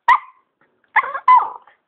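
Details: Pet dog talking to its owner, giving one sharp bark, then two drawn-out yowling barks after a short pause, with a person murmuring in between.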